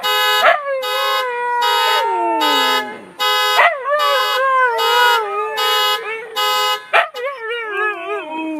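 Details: Two Siberian Huskies chime in with a car alarm, howling in long, wavering, falling notes over its rhythmic beeping.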